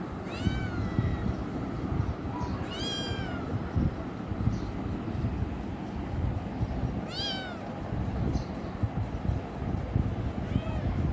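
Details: Young kitten wanting affection gives three clear, high, arching meows spaced a few seconds apart, each bending down at the end, plus a fainter one at the close, over steady low background rumble.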